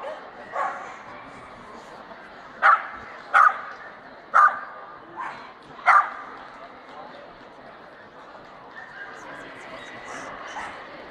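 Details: At the Strängnäs international dog show on 15 March 2015, best male ring, a Swedish Vallhund gives a run of five short, sharp barks about a second apart midway, set against steady crowd chatter.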